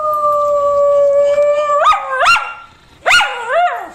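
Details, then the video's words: Dog howling loudly: a long steady tone held for nearly two seconds, then several sharp rising-and-falling yelping wails, with a brief quiet gap before a final wavering howl. "Som de Cachorro UIVANDO ALTO (5 Uivo de Cães )"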